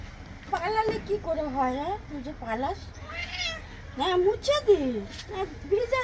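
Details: Pet cat during a bath, letting out a series of repeated, drawn-out, rising-and-falling meows about every half second, with Bengali speech over them.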